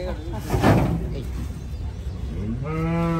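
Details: Cattle being unloaded from a truck at a busy village cattle market in Bangladesh; a voice and clatter come first, then a steady low moo with clear stacked harmonics rises near the end.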